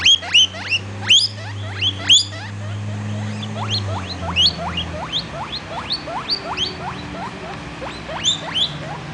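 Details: Young pet guinea pig wheeking: a steady series of short, sharply rising squeaky whistles, about one per second, some doubled, over a low steady hum in the background.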